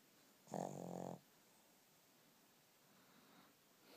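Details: Sleeping Shih Tzu recorded 19 November 2012, giving one rasping, buzzy snore of under a second with a strong low rumble and layered harmonics, followed by quiet room tone.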